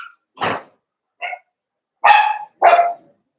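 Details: Blenheim Cavalier King Charles Spaniel puppies, a litter of five born at New Year's, in a home puppy pen. Four short, high, yappy barks come at uneven intervals, with the last two louder and longer, separated by silence.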